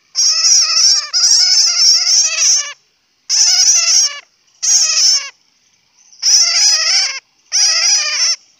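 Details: A bat chatters in long strings of shrill, wavering, raspy squeaks, grouped into half a dozen bursts lasting up to two and a half seconds, with brief silences between. Hmong name: suab puav quaj.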